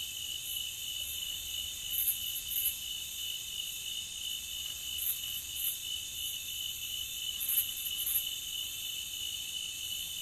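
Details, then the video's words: Crickets in a nature ambience recording, a steady high-pitched chirring drone with layered bands of sound, broken by short brighter pulses at about 2, 5 and 7.5 seconds. "Nature Cricket Sound"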